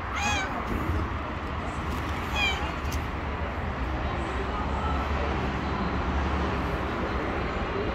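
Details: Stray domestic cat on the street meowing gently while approaching and asking for food: two short harmonic meows near the start, a brief one around two seconds, then steady low background rumble like traffic.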